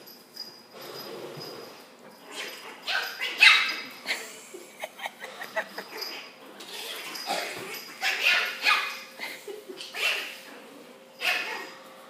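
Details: Chihuahua puppies tussling in play, five-week-old Miss Sierra against Ace. Rapid clusters of thin yips and snarly squeals arrive in uneven runs, with people's voices heard at moments.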